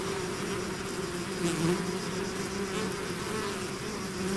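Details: A swarm of bees pouring out of its hive, a dense steady drone with low humming bands and faint higher whines of individual bees passing close, continuous throughout.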